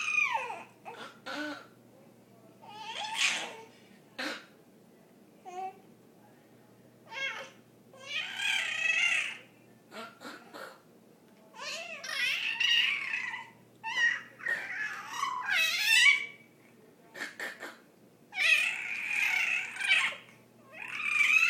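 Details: Cat named Rhea vocalising indoors in a small room: a run of repeated harmonic meows and chirping calls, some rising and some falling, in bursts with short pauses, louder and longer toward the end.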